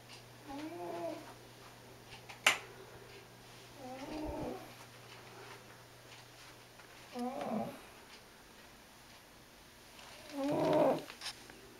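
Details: Loud snoring from Freddie, a big, fat, white diabetic house cat sleeping; each breath gives a buzzy, warbling drone dipping then rising, repeated about every three seconds, with a sharp click near the start and a constant electrical hum.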